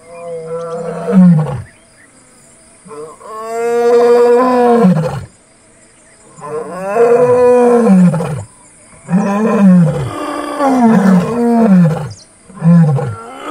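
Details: Casper, a white lion in Kruger National Park, and a Satara Pride lioness roar right next to a vehicle with two of his cubs present: deep, drawn-out moaning bursts sinking in pitch, then shorter grunting roars.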